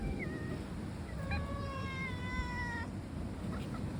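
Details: Domestic cats in a group that includes three black cats; after a brief faint call, one drawn-out, level meow lasts about a second and a half and ends abruptly, over a constant low background hum.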